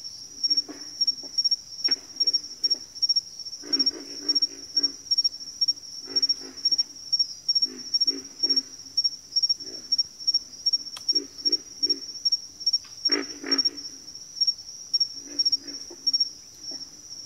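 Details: Frogs calling together in a backwater: rough, deep grunting bursts come in uneven groups, some louder and denser, while a thin high pulsed tone ticks on without pause.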